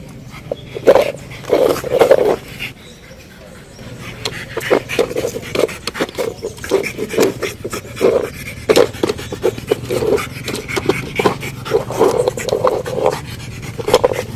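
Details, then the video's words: Pug breathing and panting: repeated rough, snorting breaths in short bursts about every half second to one second, with some quieter gaps and a steady low hum behind. "Sonido de PERRO PUG"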